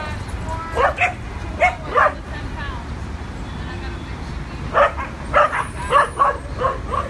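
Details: Two adopted dogs playing at a New York City dog park for the first time; short sharp barks and yips in two clusters, a few at first and then a quicker run of six, over a steady low rumble of outdoor background noise.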